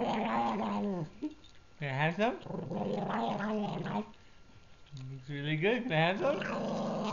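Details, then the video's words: Pug defending a treat he is eating, producing grumbling, moaning growls that rise and fall in pitch, in several bursts with brief pauses, indoors. "Pug makes Tauntaun noises"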